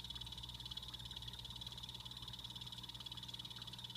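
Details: Pet blue-bellied poison frogs in a planted Exo Terra 36x18x24 vivarium give a continuous, high, rapidly pulsed buzzing trill that holds steady throughout, over a low electrical hum.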